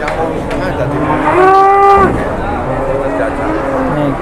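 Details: During tough bargaining over a jumbo cow for sale, one short rising-then-falling moo stands out, surrounded by a vehicle engine hum and distant voices.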